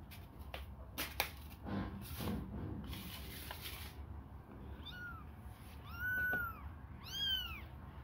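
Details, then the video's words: Hungry kittens suckle a finger: about four seconds of rustling and clicking handling noise, then three loud, high, arching mews roughly one second apart. "babies hungry they suckle my fingure"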